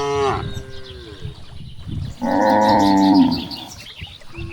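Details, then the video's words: Grazing cows in a wide rice field in the countryside: a moo trailing off at the start, then a strong, level, nasal moo of about one and a half seconds, with soft grass rustling and a faint bird chirp behind. "the sound of cows"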